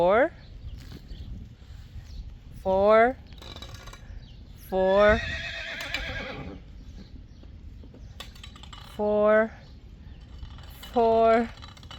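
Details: Friesian horses neighing: five loud, strongly harmonic whinnies spread over twelve seconds, each about half a second long and wavering in pitch, with quieter gaps between them and faint human voices in the background.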